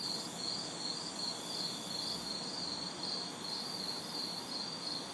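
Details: Crickets and cicadas recorded in a city backyard on a hot, humid summer night: a steady high pulsing chirp repeating about three times a second, an even higher shrill buzz fading in and out, and faint distant traffic hiss beneath.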